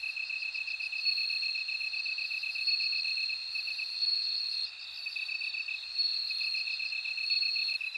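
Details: Bell cricket ringing in a continuous high, clear tone over a steady chirping pulse, the tone briefly dropping out near the middle before resuming, with faint higher trills around it.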